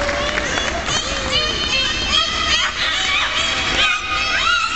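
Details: Belugas held in the Minsk Dolphinarium, said to sound like babies crying, giving a dense chorus of rising and falling whistles, chirps and squeaks that overlap almost without pause, high and harmonic-rich against background hiss.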